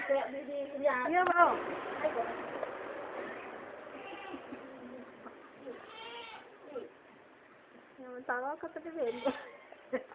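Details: Goat that has fallen into a well, making a strange sound. Several quavering, wavering bleats come in short bursts across the clip, with human voices talking throughout.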